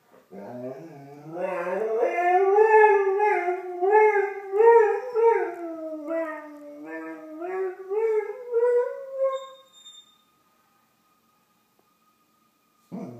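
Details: Doberman at 8:30am, singing along with distant emergency fire engine sirens, recorded on an iPhone indoors: a long, wavering howl that pulses up and down in swells for about ten seconds, then stops, leaving a faint steady siren tone.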